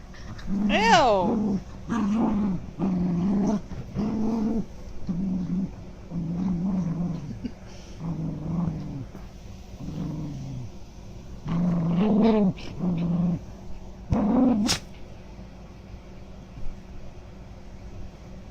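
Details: Two pet dogs stare and beg for nuggets while their owner eats. A string of whiny, moaning vocalizations comes about once a second, some climbing into squeaky rising whines, with a sharp high yelp near the end.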